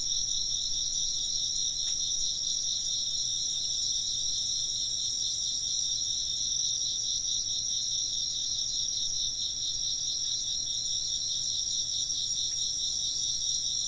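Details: Chirping insects form a dense, unbroken chorus of high, rapidly pulsing trills layered in several bands, steady in loudness throughout, with two faint brief taps near the start and end.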